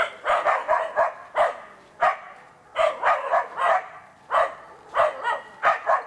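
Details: Two Karelian Bear Dogs, a two-year-old and an eight-month-old, working an enclosed wild boar in training for trials; sharp barks in quick bursts of two to four, with pauses between volleys.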